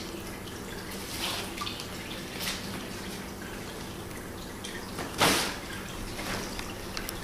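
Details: Soft dripping and light tapping echo around a small indoor room over a steady low background hum, with one sharper clatter near the end and no animal voice.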